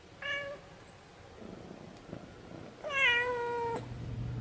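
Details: Milo, a Munchkin kitten, gives two meows indoors: a short high one, then after a pause a longer, louder meow that holds steady and drops slightly at the end.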